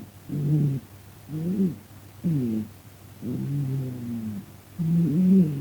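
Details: Sleeping pet cat snoring, at times talking in its sleep; deep, moaning, voice-like breaths lasting under a second to about a second and a half, rising and falling in pitch, with brief gaps between.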